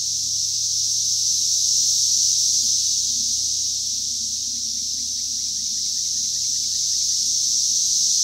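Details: A continuous shrill cicada drone from 2021, high and even, rising and falling gently in loudness over several seconds, faint chirps of other birds in the background.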